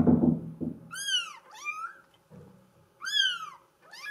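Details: Young female Bengal of mink solid colouring meowing twice in rapid pairs, shrill arched calls, after a burst of low knocking and rustling handling noise at the start.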